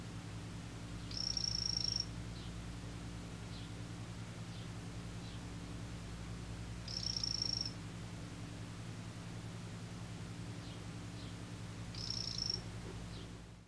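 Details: A male imitator poison frog, 'green' form, repeats a high, buzzy pulsed trill three times, roughly every five to six seconds, each lasting under a second. A continuous low hum sits beneath.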